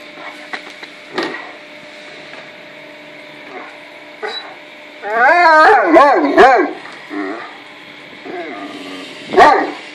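A Great Dane gives wavering, high whines and short yips in a burst, then one sharp yelp.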